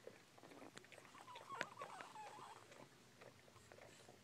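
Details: Newborn Bull Pei puppy, about an hour old, giving a thin, wavering whimper that rises and falls in pitch for just over a second, with soft rustling and low background noise around it.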